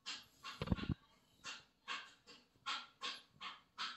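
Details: Oggy, a Lhasa Apso, playing with a new toy indoors: breathy, noisy huffs and pants repeat roughly every half second, with a brief rough snort-like burst near the start.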